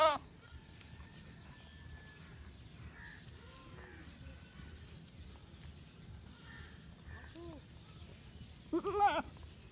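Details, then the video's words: Young goats grazing and playing outdoors on a field; short, soft bleats scattered through the recording, then a louder, wavering bleat near the end, with a person briefly saying "come on" and low rural background noise. "Baby Goats Eating Grass And Playing On The Field"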